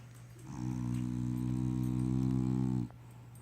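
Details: A French Bulldog snoring loudly: one long, low, droning rumble that holds steady for a little over two seconds, then stops abruptly and leaves a quiet background.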